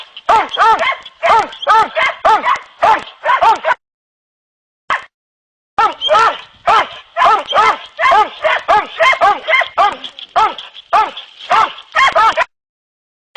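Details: Hunting dogs Kopoy and Barak in training for wild boar hunting, giving rapid, tonal, arching barks in quick bursts of about two per second, with a brief pause near the middle, then a steady, insistent run.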